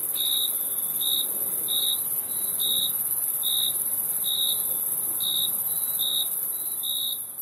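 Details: Crickets chirp in quick pure-toned pulses, around ten in seven seconds, slightly irregular in spacing, with a constant shrill drone of other insects overhead.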